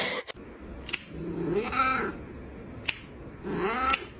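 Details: Kitten meowing indoors: two drawn-out, arching mews about two seconds apart, each swelling then falling, over a steady background hiss with a few sharp clicks.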